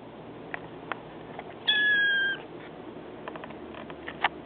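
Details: Four-week-old male kitten, still living with his mother, gives a single clear, steady meow lasting under a second midway through, surrounded by faint clicks and soft indoor room noise.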